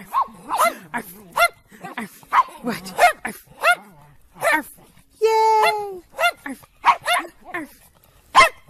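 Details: Domestic dog in a funny home recording giving rapid, yappy barks in quick irregular bursts, broken midway by one long, drawn-out tonal cry, with people talking underneath.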